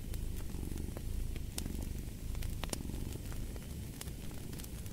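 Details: Cat purring as a steady low rumble, with a crackling fireplace adding sharp pops and snaps throughout.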